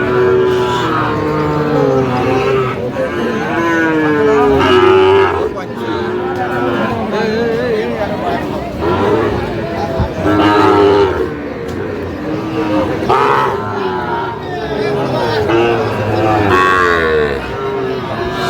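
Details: Sahiwal cattle at a livestock market in Faridpur, Bangladesh, 17 August 2025, where a Sahiwal bull calf is bought. Deep drawn-out moos come roughly ten times a minute, some rising then falling, over crowd chatter and bargaining voices.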